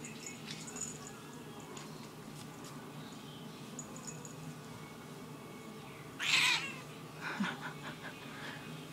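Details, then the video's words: Moody black and white domestic cat indoors giving one short, harsh, noisy burst lasting about half a second, broad and breathy, then a few faint rustles over a quiet room hum. "CAT moodyness"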